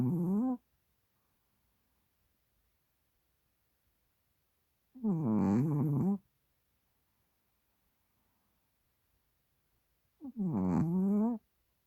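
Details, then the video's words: Sleeping Chihuahua snoring deeply on a microfiber blanket, nostrils flaring and tongue slightly out; three low, throaty, rattling snores about five seconds apart, each lasting around a second, with near silence between them in a small quiet room. "Snoring Chihuahua 코 고는 치와와"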